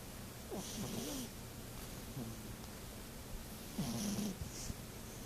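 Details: Sleeping domestic cat snoring loudly, a few low, rough, droning snores separated by soft breathy hisses, irregularly spaced in a quiet room.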